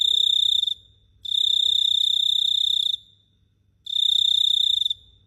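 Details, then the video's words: Cricket chirping at night in Phteah Prey: a steady high trilled tone in bursts of about half a second to two seconds, separated by short gaps, with no other sounds. "The Sound of Cricket Chirping is amazing"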